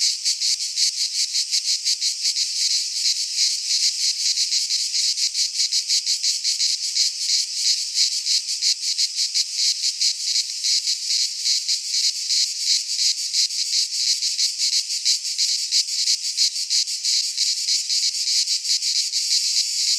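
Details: Midsummer cicada chorus in a pine forest in Greece, a continuous shrill buzz with rapid even pulsing that holds steady for twenty seconds, nothing else audible beneath it.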